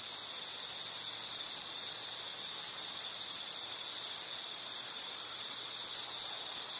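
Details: Insect calling in a nature recording: a steady, unbroken high-pitched ringing tone held without pause, with faint harmonics above and no other clear sounds.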